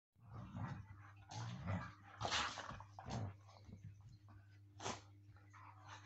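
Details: Siberian Huskies playing rough, biting and pulling at each other: rough, broadband growls and snarls in bursts roughly every second, some sharper yelps, over a steady low electrical hum.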